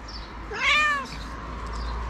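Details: White cat meowing for food: a single clear, rising-then-falling meow with rich harmonics, lasting about half a second, over steady low background hum.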